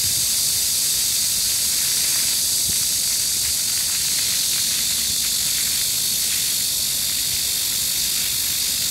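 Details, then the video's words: Korean cicadas on 14 July 2022 in a Seoul park fill the air with a flat, piercing buzz that never pauses; faint lower rustle and splashing of a fountain underneath. "The sound of cicadas on a midsummer day and a cool fountain(한여름날의 매미소리와 시원한 분수)"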